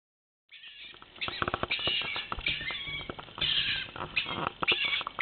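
A stone marten gives harsh, chattering squeals in rapid, uneven bursts.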